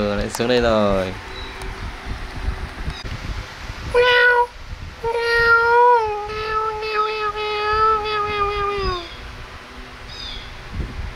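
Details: Kittens at play and feeding time give a long, drawn-out meow held steady for several seconds, preceded by a shorter cry. A brief earlier wail and human voices in the background.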